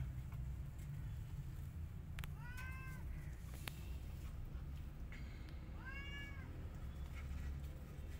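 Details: Angry white cat and a tiny kitten trying to get into her hut: two drawn-out, bending meows a few seconds apart, with brief clicks and constant low-pitched background rumble.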